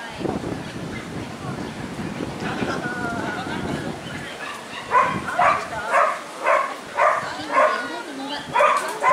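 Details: Hokkaido dog, Rufus, at a dog show on 1 September 2019; people talk over a noisy hall at first, then sharp barks ring out roughly twice a second through the final four seconds.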